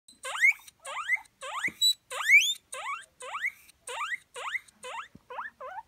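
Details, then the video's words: Hungry pet guinea pigs waiting for food, calling with a run of loud, rising whistled wheeks, about ten in six seconds, each sweeping upward and separated by short gaps; a faint tap is heard midway. "Hungry Guinea Pigs"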